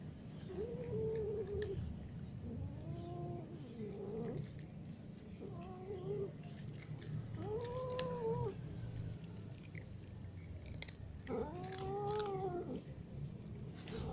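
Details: Ginger cats and other cats eating in the morning, giving a series of about six drawn-out meows, some rising then falling, spaced irregularly over fourteen seconds against a steady low rumble and faint clicks.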